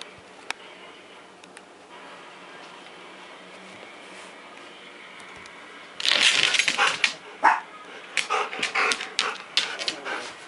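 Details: A Siberian Husky vocalizing instead of obeying commands, filmed 13 December 2014 at 4:07 AM. Near silence for six seconds, then a burst of loud, rough, broken yelping cries that repeat irregularly to the end.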